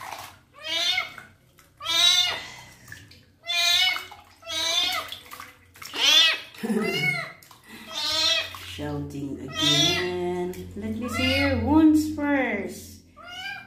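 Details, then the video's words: Kitten meowing a lot through his first bath as his wounds are cleaned: around ten sharp, arched meows, steady and insistent, with a person's voice and washing sounds in the background. "KITTEN'S FIRST BATH, CLEANING HIS WOUNDS AND HE MEOWS A LOT"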